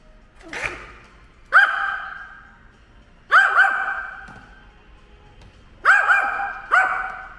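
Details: Ten-year-old dog Ttori attacking a drone: a faint yip, then a series of loud clipped barks, singly and in quick pairs, every one to two seconds, each ringing with a reverberant tail.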